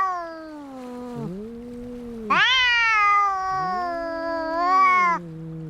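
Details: Fighting cats: a low, wavering moan slides downward, then a loud, rich, higher yowl cuts in and holds for about three seconds while a second, lower voice rises and drops beneath it.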